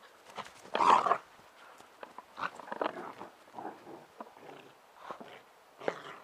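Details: Bernese Mountain Dog puppy sisters Ylvi and Yella play-fighting in a garden; a loud, harsh growling burst near the start, then a string of shorter grumbling growls and snuffles amid rustling.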